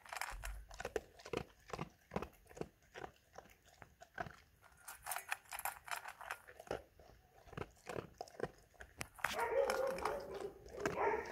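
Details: German Shepherd eating food, with steady rhythmic chewing at about three to four crunches per second. A louder, more continuous rustling and crunching swells over the last two seconds.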